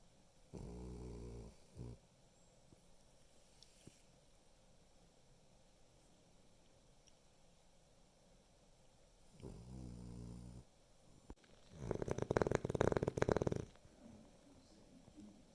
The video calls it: Boston Terrier Snoring